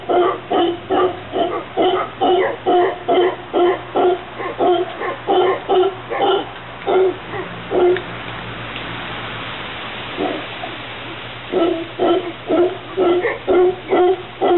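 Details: A group of howler monkeys visiting a garden in Santa Cruz, Costa Rica, give a rhythmic series of deep, hoarse grunting roars, about two per second.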